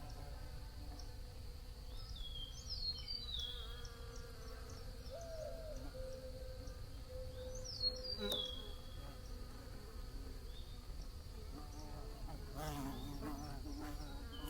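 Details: Bees droning and passing by with shifting buzzy tones, while faint high chirps from small birds come and go and a brief rustling burst sounds near the end.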